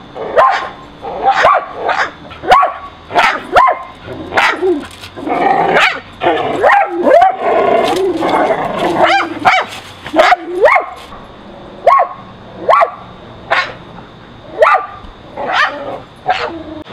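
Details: Pet dogs filmed indoors and in a backyard on June 30, 2011 with a Nikon D7000, barking at a squirrel on an electrical high wire; sharp repeated barks, roughly one every second, with brief overlapping yips mid-sequence.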